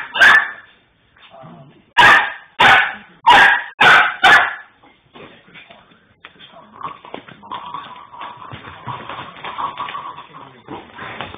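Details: A Rhodesian Ridgeback pup playing with a Lhasa Apso, sharp loud barks in a quick burst of five, then softer whines, growls and yips as the play continues.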